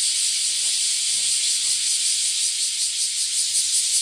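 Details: Dense chorus of bear cicadas from early morning, recorded in an alley in front of a house: a harsh, high, sizzling buzz pulsing rapidly and without pause, drowning out everything else.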